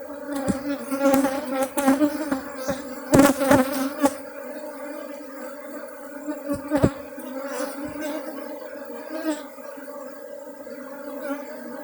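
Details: Honey bee colony from Bener Meriah, Aceh, humming in a continuous even drone, with a clustered burst of tapping knocks near the start and a few scattered thumps later.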